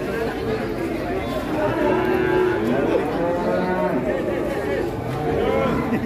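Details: Cow on a rampage in Indonesia giving drawn-out harmonic moos over crowd chatter and people's voices.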